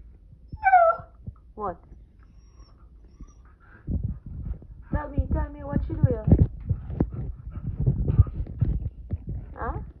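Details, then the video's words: Playful Siberian husky indoors, wanting to play, producing short high whines early, then a burst of warbling, yodel-like calls midway and a brief rising whine at the end, amid a person's chatter and background rumble. "Husky wants to play"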